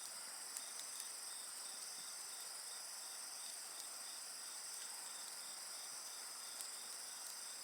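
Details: Night insect chorus mixed with bonfire sounds, a dense continuous high ringing with a softer pulsed chirp repeating rapidly, occasional faint crackles from the fire.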